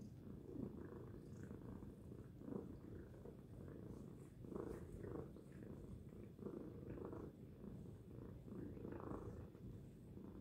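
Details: Tacy, a house cat, purrs loudly in a continuous low rumble, the sound swelling and easing in a rhythm of breaths every second or so.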